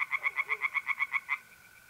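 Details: Tree frog calling from a pond on a mid-April night in North-East Italy: about ten sharp raspy pulses in rapid, regular succession, then silence except for the faint steady trill of a mole cricket.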